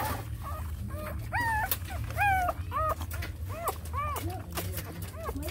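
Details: Hungry small puppies nursing from their mother dog give high, arched whimpers and yips, about a dozen short rising-and-falling whines in quick succession over a steady low hum.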